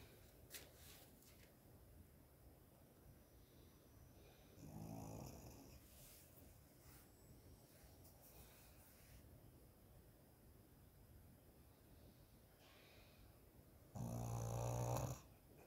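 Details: Kiwi, a pet dog, snoring while asleep indoors; soft, low rumbling breaths throughout, with two louder, rougher snorts about nine seconds apart, the second one closing the recording.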